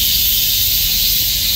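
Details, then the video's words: Countless summer cicadas clinging to trees call together in a dense chorus, a steady, high, hissing buzz with no breaks. "수많은 매미가 벌처럼 달라 붙어 울부짓는다, numerous cicada calls"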